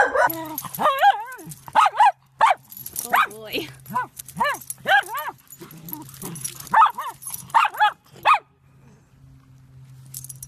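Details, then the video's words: Indoor Dachshund giving a rapid run of wavering, yodel-like barks and howls, each bent up and down in pitch, about a dozen in eight seconds, then quiet with a low electrical hum. "Living with Dachshund , Sausage Dogs"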